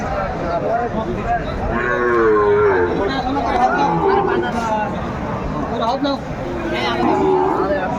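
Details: Sahiwal bulls and calves offered for sale at the opening of Aftabganj cattle market, Dinajpur, on 1 February 2025; a drawn-out, low moo rises and falls near the middle, surrounded by constant chatter of men bargaining in the crowd.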